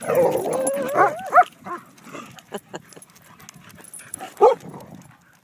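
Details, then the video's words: Playing dogs: a wavering, tonal whine rises and falls for about a second, then breaks into sharp high yips, with another quick yelp after a quiet stretch of soft scuffling. "Happydogs Playing"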